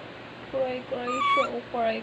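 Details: A crying dog makes four quick, tonal whimpers in a row, each a short level or gently rising note. One pitched higher in the middle sounds almost like talking, over a low background hum.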